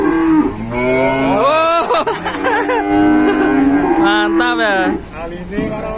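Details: Collapsed cow being helped to its feet during a rescue, giving a strained, wavering moo that breaks and bends in pitch, followed by a second rising, quavering moo, with shouting voices around.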